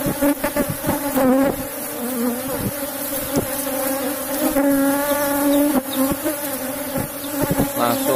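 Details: Asian honey bees (Apis cerana) in a cultivated box hive during a honey harvest from a strong colony; a steady, low, droning hum with a higher overtone runs throughout, broken by clicks and handling knocks.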